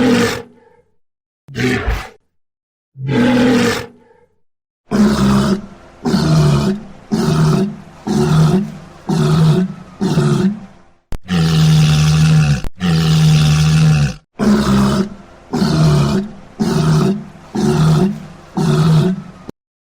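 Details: Walrus bellowing in a long series: a few spaced, harsh roars, then a rapid run of short deep bursts. Two sustained, drawn-out bellows come in the middle before the quick bursts resume. A clean recording with no other sounds.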